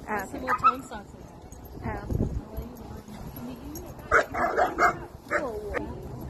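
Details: German Shepherd greeting friends at a playground, happy and excited. A brief early yelp, then a quick cluster of short sharp barks and yips late in the clip, mixed with human voices.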